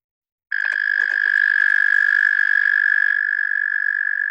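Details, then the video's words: Male Eastern American toad singing in Pennsylvania: a long, steady, high musical trill that starts after a half-second of silence and holds evenly for nearly four seconds, with faint clicks early on. "So this is the Eastern American toad, and he's singing in Pennsylvania."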